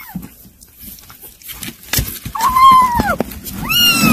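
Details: Kittens eating weaning food; two high, arched meows with rich overtones near the end, the first drawn out and falling, amid soft clicks and rustling feeding noises.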